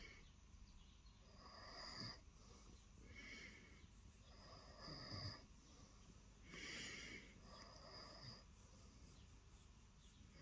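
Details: Lilo, a pet cat, purring during early morning snuggles on the bed after sitting there waiting for attention; a breathy, rumbling purr that swells and fades in cycles roughly every one and a half seconds in a quiet room.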